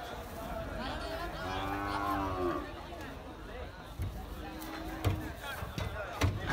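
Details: Bulls and cows being unloaded at a livestock market in Karachi, Pakistan. One animal gives a drawn-out, level moo lasting about a second. A shorter, lower moo follows, over market bustle, voices and sharp knocks.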